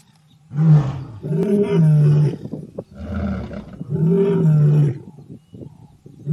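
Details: Powerful deep lion roar made of loud, drawn-out moaning bursts, each about a second or more long, with low rumbling and harmonic layers, followed by shorter grunts as it fades.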